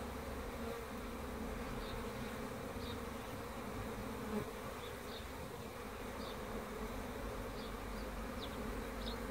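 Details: Honey bees produce an even low hum, with soft high chirps appearing now and then over the drone.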